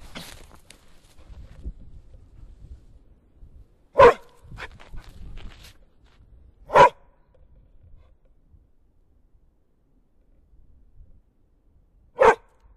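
A bear gives three short, gruff barks spaced several seconds apart, with quiet rustling between.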